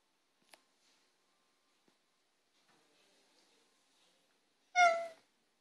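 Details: Maine Coon cat (Felis catus) near a bread maker gives one short, clear meow after a few seconds of near silence.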